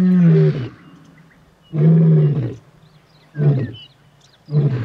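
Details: A male lion gives deep, throaty roars, four low moaning bursts spaced roughly every one to two seconds, the later ones shorter and grunting.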